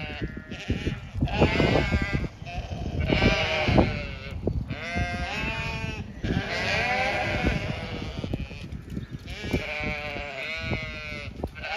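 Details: Zwartbles sheep on a County Kilkenny farm in Ireland call to each other that feeding is coming; many overlapping, quavering bleats fill the whole stretch almost without pause, over steady low rumble.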